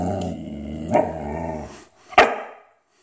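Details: A Boxador dog at dinner, prompted to say "mama", makes a long, low, wavering growl-moan with a sharp rise midway, ending in a brief strained yelp before quiet.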